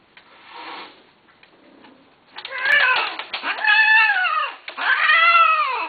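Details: A cat gives drawn-out, nasal meows, three long rising-then-falling cries in the last four seconds after quieter faint mews and room noise at the start.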